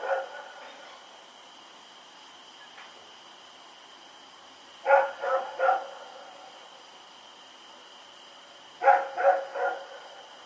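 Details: Rex, a dog running around at night, recorded October 7, 2018, gives two bursts of three sharp barks, one near the middle and one near the end, with long quiet gaps and a steady high electrical hum behind.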